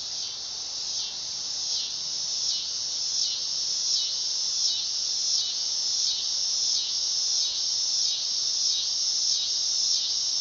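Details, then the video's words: Dog-day cicada buzzing in a high, pulsing rhythm, the whine throbbing about three to four times per second and growing slightly louder over the stretch. "Cicada sound / call / noise | Dog day"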